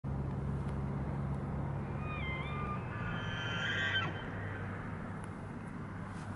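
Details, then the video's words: Large bull elk on a golf course in Estes Park, Colorado, bugling: a high, whistled squeal that climbs and wavers with layered overtones for about two seconds, over a steady low rumble of background noise. "Large Bull Elk Bugle"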